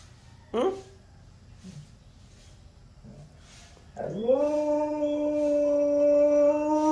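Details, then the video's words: A talkative husky gives a short yelp, then after a pause starts a long, steady, tonal howl that rises quickly and holds a level pitch to the end. "talkative husky"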